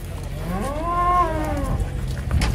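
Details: Big-bellied giant cattle unloaded from a truck; a single clear moo rises then falls in pitch, arching over about a second, with low rumbling noise and a knock at the end.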